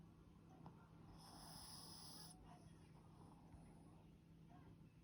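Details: A Boston Terrier snores in low, rumbling breaths, with one brief, high, wheezy whistle.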